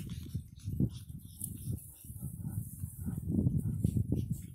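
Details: Nine-week-old Pug puppies playing in Cheyenne, Wyoming, snort and grunt in low, rough bursts, with the odd faint whimper.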